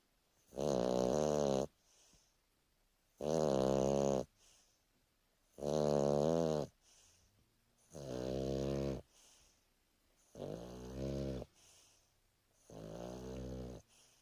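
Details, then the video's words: A Boston Terrier snores loudly and steadily on a lazy afternoon, each harsh, rattling breath coming about every two and a half seconds. "Boston Terrier snoring for a minute"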